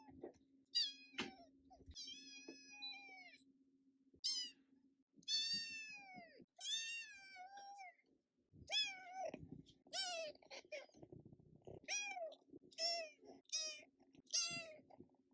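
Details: Red tabby Scottish Fold kitten, female and prick-eared, calling in a long series of meows that start drawn-out and become shorter and quicker, almost one per second near the end, over a constant low electrical hum.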